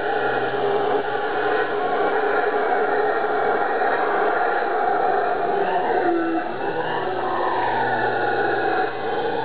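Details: Howler monkeys on Ilha Grande, Rio de Janeiro, Brazil, in a continuous droning roar: dense layered harmonic tones that swell and waver slowly throughout, with a few brief rising and falling inflections near the middle.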